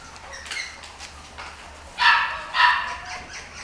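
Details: Chihuahua × Miniature Dachshund mixed-breed dog giving two sharp, bright yaps about half a second apart, preceded by fainter softer sounds, over a low steady background hum.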